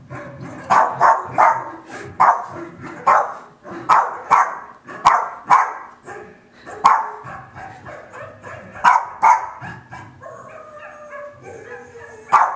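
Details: Patsy Cline, a pet Boston Terrier, barks steadily, as if auditioning for a VW commercial: punchy single and paired barks about every half second to second, easing into softer whining tones near the end before one last bark.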